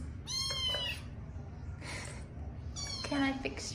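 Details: A chorus of young kittens mewing: a bright harmonic meow at the start, a softer cry near 2 s, then overlapping high mews toward the end, with steady low background noise.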